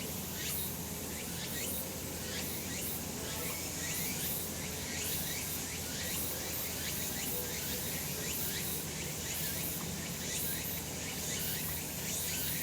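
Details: Cicadas in the sun on a summer mountain: shrill, even drone with rhythmic pulses roughly every half second and occasional quick rising chirps, steady low background hum.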